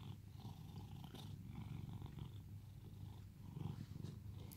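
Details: Cat in Cooktown, Queensland, Australia, purring during petting and pampering, a sustained low throbbing drone that swells slightly near the end, with soft rustling touches.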